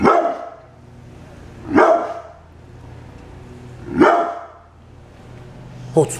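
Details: Guard dog, a brindle pit bull, giving three sharp, forceful barks about two seconds apart over a low steady room hum.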